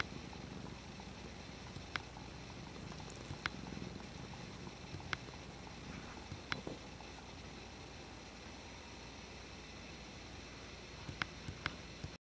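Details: Pet cat Dutchess playing with a water bottle lid: a soft, low rumbling purr that is strongest in the first few seconds. Sharp clicks from the lid being batted punctuate it, over a steady background hiss.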